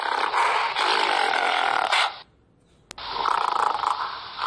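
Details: Gorilla calling: a harsh, loud, broadband roaring burst lasting about two seconds, a short pause with a faint click, then a second rough, grating burst of similar strength.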